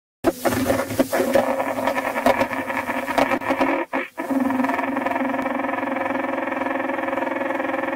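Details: Leafhopper Aphrodes makarovi during mating behaviour: about four seconds of irregular, crackling broadband pulses, a brief near-silent gap, then a steady low droning hum rich in overtones that continues to the end.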